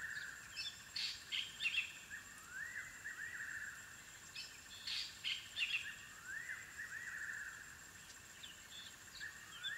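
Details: At their den, African wild dog puppies make bursts of sharp chirps alternating with rising whistled slides every few seconds. A continuous insect buzz runs underneath.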